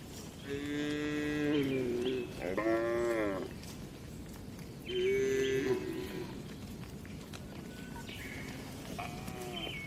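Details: Dozens of gentle cows in a well-kept livestock barn; loud, resonant moos follow one another, some long and level, one wavering and bending downward, then quieter distant calls amid barn noise.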